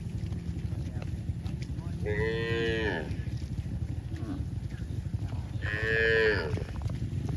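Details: A cow running back to the barn gives two drawn-out, harmonic moos about four seconds apart over a low background rumble.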